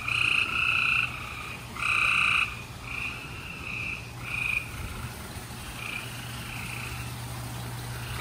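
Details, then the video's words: Gray treefrogs calling at night in Houston, Texas, on April 28, 2020, in spring: overlapping trilled calls, each lasting under a second, from several frogs, with a steady low hum beneath. "Gray Tree Frogs Chorus"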